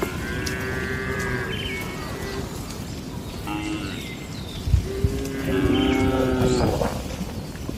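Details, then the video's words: Cattle at night in a rural village shed, giving several overlapping drawn-out harmonic moos of varied pitch against constant low-frequency noise, with a few sharp knocks and thuds. "Suara Malam di Kandang Sapi Lembu"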